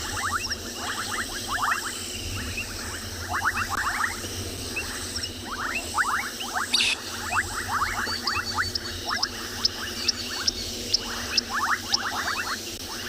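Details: Bubbling kassinas (Kassina senegalensis) call in a chorus of short liquid popping notes, mixed with shrill whistles of painted reed frogs, at a dam in summer on a January afternoon in a South African game reserve.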